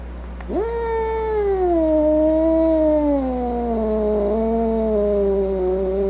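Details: Domestic cat letting out one sustained wailing yowl that rises sharply, then slowly sinks lower over several seconds with a slight wavering near the end.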